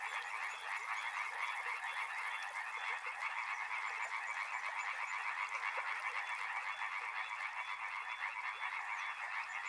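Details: Riverside frog chorus, countless overlapping croaks merging into an unbroken rattling drone, with a shrill rapid ticking trill heard only in the first few seconds.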